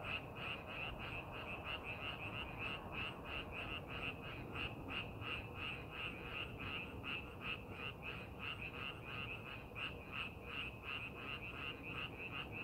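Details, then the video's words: In paddy fields being made ready for planting, frogs keep up a continuous run of sharp, ringing croaks, close to three per second and fairly regular, over faint low background noise. "농사준비하는 논에서 개구리 울음소리"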